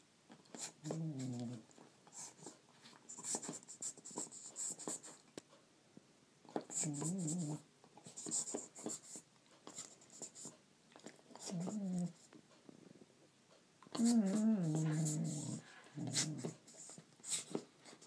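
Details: A female Border Collie makes odd, wavering groans and grumbles in short bursts while playing with a toy she always does this with, with clicks and scratching between.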